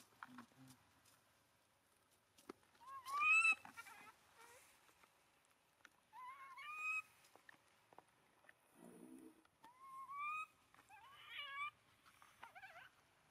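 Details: Abandoned monkey clutching its owner's feet and crying, giving a series of short rising squealing whines every few seconds, each harmonic-rich, with a brief low rustle between calls.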